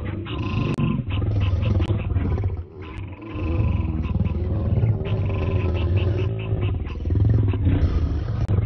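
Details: Male lions clash over a lioness with continuous deep, gravelly growls and roars, pulsing in long surges broken by brief dips.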